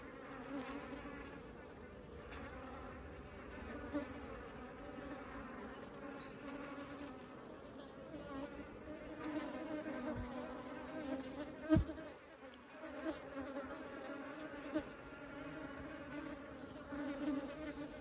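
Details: Swarming honeybees at the hive entrance while taking honey inside; constant layered humming buzz, fairly even, with a few brief louder clicks or knocks near the middle.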